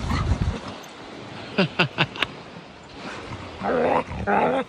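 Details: Skye, a 15-month-old female Norwegian Elkhound, excitedly climbing the eroding sandy bluffs at Port Williams beach in Sequim, Washington, one morning. She gives four quick, sharp barks in a row, followed by a person's voice.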